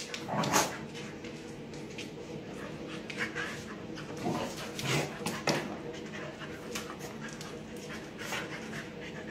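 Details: Three dogs playing together, a puppy with two visiting adult dogs that won't tolerate her pushiness; short rough barks and growly bursts at about half a second, four and five seconds, with panting and a person's voice between.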